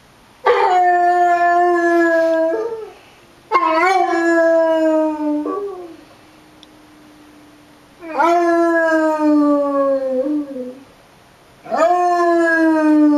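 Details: Basset Hound Winston howls along with tornado sirens, giving four drawn-out, richly harmonic howls of two to three seconds each, every one opening with an abrupt upward swoop and sagging slightly before breaking off; a faint steady siren tone hums between them.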